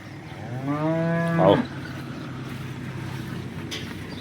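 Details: Local Banaskantha cows in Gujarat, including a horned cow in her first lactation: one deep, drawn-out moo lasting about a second, rich in harmonics, that swells and then cuts off sharply, with a faint background hiss afterwards.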